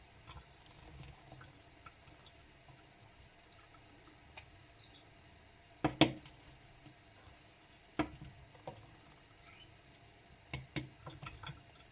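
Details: Faint indoor room noise with a few sharp clicks and drip-like taps, and no clear animal calls.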